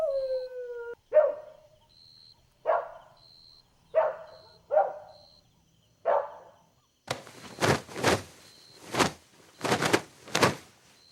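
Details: Playful Golden Retriever puppies on green grass. A falling whine opens, then five short, sharp yelps about a second apart, followed by loud broad rhythmic bursts like panting or scuffling and a faint steady high tone.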